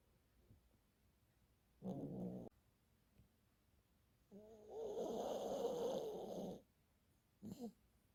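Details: Elderly Poodle, very tired and fast asleep, snoring: a brief rasping snore, quiet breathing, then a long rattling snore drawn out for about two seconds, followed by a short snort.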